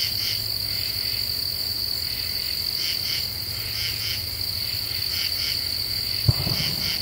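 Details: Several common true katydids singing at night in Ozark deciduous forest, rhythmic raspy clusters of pulses against a steady high drone, with a brief knock near the end.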